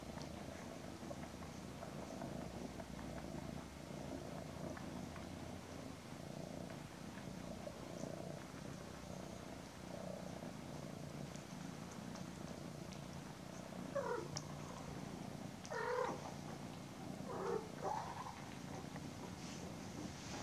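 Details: A mother cat embraces her almost 10-week-old kittens Daisy and Aragon; even, rhythmic purring runs throughout, joined late by a few brief higher squeaky chirps.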